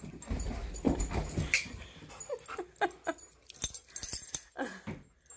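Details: Two dogs, Tonka and Monroe, too excited to sit still while leashes go on before a morning of bikejoring; short sharp whining yelps sliding downward in pitch, several in quick bursts, after a stretch of rustling and jingling handling noise.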